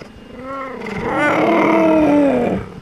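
A cheetah gives one drawn-out, wavering moan of about two seconds, mid-pitched and slightly rough, rising then sagging at the end; nothing else is heard.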